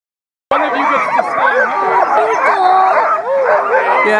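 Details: A chorus of sled dogs at Mendenhall Glacier, Alaska, in September 2015 howls together, with wavering, overlapping tones that rise and fall.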